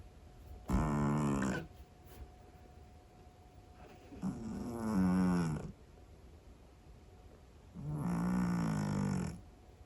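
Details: Sleeping Scottish Fold cat snores noisily indoors: three rough, droning breaths, each about a second long, spaced about three and a half seconds apart, with a faint steady hum in the room.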